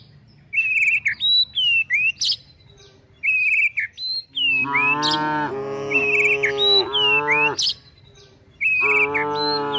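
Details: Tame cows and calves being herded toward a forest while looking for food; after a stretch of chirping birds, long rich low moos sound in two close pairs, then another drawn-out moo, with small birds twittering throughout.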